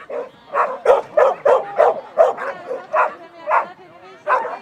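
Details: Schapendoes dog barking during an agility run, Agility 2 Large class, clean run placing third, Fredrikstad, 20 August 2016; quick sharp barks in an uneven run of roughly three per second.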